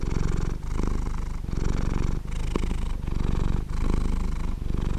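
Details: Domestic cat purring up close: a continuous low rumbling vibration that swells and dips with each breath, about every 0.8 seconds, with short pauses between breaths.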